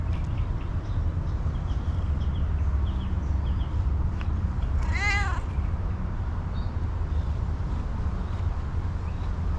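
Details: Hungry female cat meowing while happy for attention and food: one clear, bright, wavering harmonic meow near the middle, surrounded by constant low-pitched rumbling noise.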